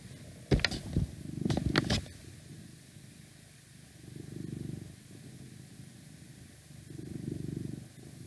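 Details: Purring from a 12-year-old male house cat, oldest of six and constantly shedding, recorded indoors. After a few loud thumps, the low rumbling purr swells in two slow breath-paced bursts, with faint outside noise drifting in through a window.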